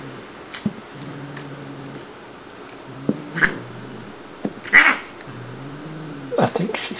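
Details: An indoor Siamese cat named Shiloh, female and turning four, playing: three or four sharp, scattered meows over steady low background hum, with a person talking quietly.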